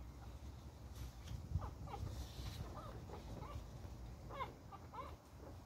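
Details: Beagle puppy fighting playfully, giving short rising yelps and squeaky growl-like calls scattered through the clip over a steady low rumble of background noise.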